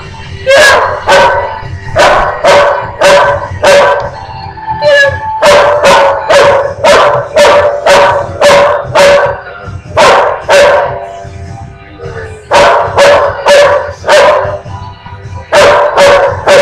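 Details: Long run of rapid, harsh dog barks repeated roughly twice a second, loud and insistent, with a short pause near the middle and another near the end before the barking resumes at the same pace.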